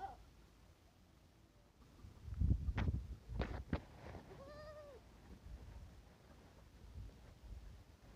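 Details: Barbari goat kid gives a single short, wavering bleat midway, surrounded by loud thumps and handling noises.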